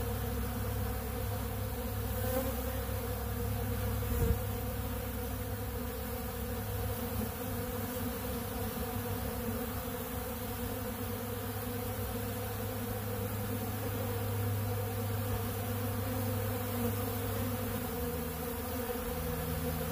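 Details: Honeybees feeding on ultra bee pollen from a big blue pollen feeder: a steady, dense buzzing drone of many bees, low and continuous, with a brief thump near four seconds.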